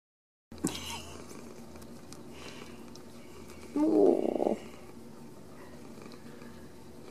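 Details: Ragdoll kittens raised uncaged in a home cattery in central Kansas; one short, tonal meow of under a second rises and falls near the middle, set over a low, steady rumble and faint room noise.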